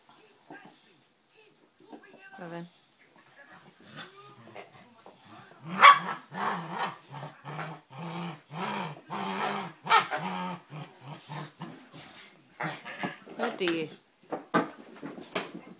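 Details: Dogue de Bordeaux puppy, five months old, at play: after a quiet stretch with a woman's voice, a run of low, throaty, rhythmic growls and grumbles begins about halfway through, mixed with talking and handling noise.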